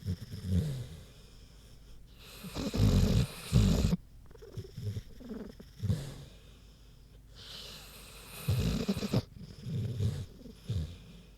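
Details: Queenie, a big pig, asleep and snoring: uneven low rumbling snores in bursts separated by quiet pauses, some with a rougher, breathier rasp.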